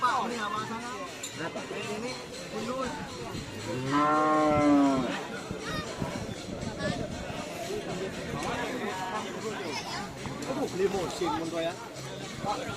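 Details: Madura cattle of the Kerap Tanggek type in Langsar village, Saronggi, Sumenep: one loud, rich, harmonic moo lasting about a second near the middle, amid continuous music and people talking.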